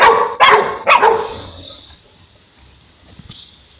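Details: Boerboel (South African Mastiff) kept in Egypt, one of the couple Enzo and Diva, giving three loud barks in the first second and a half, then quiet with a faint high hum.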